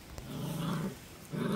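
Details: Central Asian Shepherd Dog (Alabai) puppies; a low, steady growl held for most of a second, then a second growl starting near the end, in a quiet indoor setting.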